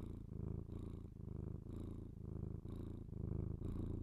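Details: Pet cat purring, captured with a binaural microphone for ASMR; deep continuous rumbling purr broken into about five breath phrases, each lasting under a second, with soft breathy hiss at phrase edges.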